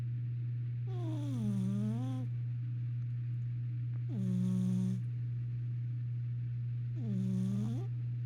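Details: Sampson, a pet cat, asleep in his cat carrier indoors: three drawn-out droning snores about every three seconds, each dipping then rising slightly in pitch, with a steady low electrical hum underneath.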